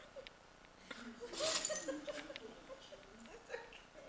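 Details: A female pet dog in a sneezing fit that went on for almost 30 minutes gives one sharp, explosive, hissing sneeze, followed by a person's laughter and soft chuckling.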